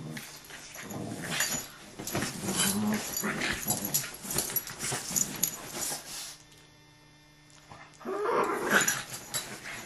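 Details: Fighting dogs give throaty, rolling growls in quick bursts amid thumps and scuffling, then a short quiet pause before the rough growling and scraping start up again.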